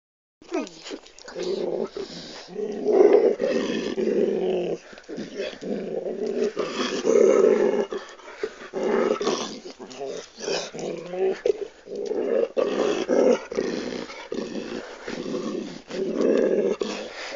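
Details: Dog named Ole growling continuously while being stroked and caressed on his butt and hips by his owner, sounding menacing but simply enjoying it; rough, rumbling bursts rising and falling in loudness, with brief gaps between.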